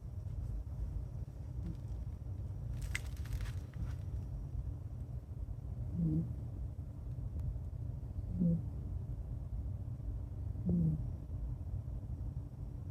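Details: Sleeping female long-haired red Kaninchen dachshund named Ebisu, a former breeding and rescue dog born 2013, snoring like a person indoors: three soft low snorts spaced about two seconds apart over a low room hum, plus a brief rustle.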